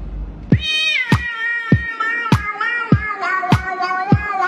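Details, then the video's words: Domestic cat calling into a microphone with added echo, a rising then falling meow stretched out and ringing, cut through by a steady thumping beat about every half second from backing music. "Cat releasing echoed sound"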